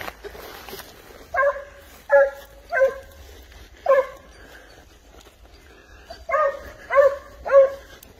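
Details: Spanish hound on the trail of wild boar, baying in clear harmonic barks, three spaced ones, a single bark, then a quick run of three; low rumble underneath.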